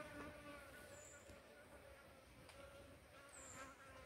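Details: Asian honey bee (Apis cerana), a domesticated honey-producing bee raised through simple beekeeping: a faint, steady, low buzzing drone that holds for the whole clip, with no clear pauses and a light background hiss.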